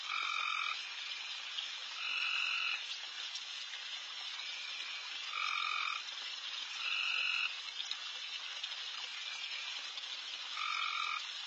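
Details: Late-night frog chorus in a backyard where deer are feeding. Steady sizzling background calling from many frogs, broken by five louder, harsh buzzy trills of about half a second to a second, spaced irregularly.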